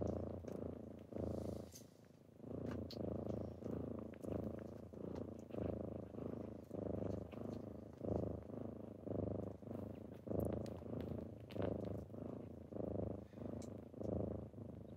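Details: Kittens purring on a typical morning as they wake their owner; a deep, low rumbling purr that swells and fades in steady breath cycles roughly every second, with faint clicks and rustles above.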